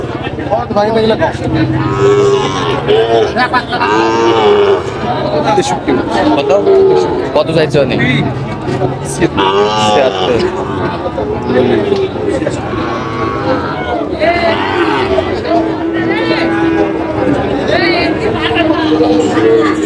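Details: Sahiwal bulls and calves at a cattle market in Barishal, Bangladesh, lowing repeatedly in short and drawn-out moos throughout, mixed with busy crowd talk and bargaining voices.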